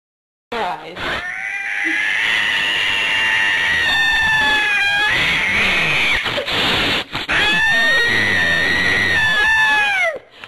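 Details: Very angry cat at a shelter, apparently after bad earlier experiences, giving long, drawn-out wavering yowls that rise and fall almost without pause for about ten seconds, broken only by brief catches of breath.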